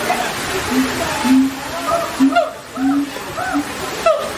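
A siamang gives a run of hooting notes, some held low and others rising and falling in quick arcs.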